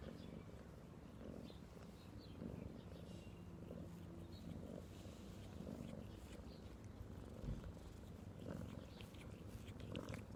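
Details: Domestic cat purring steadily, a low rumbling drone that swells and eases in soft rhythmic cycles roughly every second, with faint rustling noises.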